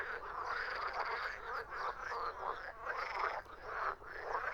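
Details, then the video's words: Crowd of frogs producing harsh, rattling croaks in a continuous overlapping wall of sound, rising in short surges with brief dips in volume. "Frogs croaking"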